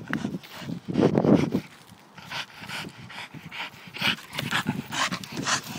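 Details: A pet Staffordshire bull terrier gives a loud, rough grunting growl near the one-second mark, then pants fast and raggedly for the remaining seconds, each breath a short airy rasp.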